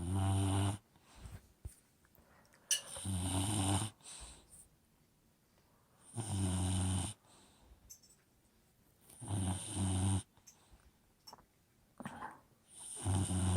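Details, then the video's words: Lucy, an Old English Bulldog, snoring in her sleep: deep buzzing snorts roughly every three seconds, each a one-second rumble rich in low tones, with short wheezy exhales and small snuffles in the gaps. "Old English Bulldog snoring"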